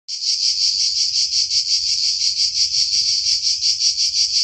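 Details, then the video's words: A cicada sings its summer song, a loud, continuous, high buzzing drone with a slight regular pulsing. "Cicale (canto)cicadidae,cicadas"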